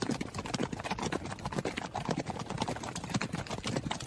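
A running horse's hooves thud in quick, uneven clusters against the ground.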